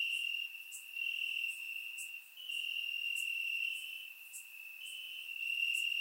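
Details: Warm summer night in Bulgaria with crickets chirping in the grass, captured by surround microphone: sustained piercing trill shifting slightly in pitch, with repeated high ticks roughly every second.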